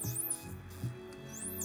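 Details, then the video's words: A male dolphin gives his signature whistle, high sweeping whistles that arc up and down over soft musical backing, broadcasting who he is like a name, possibly greeting the researchers. "So this is one dolphin making his signature whistle."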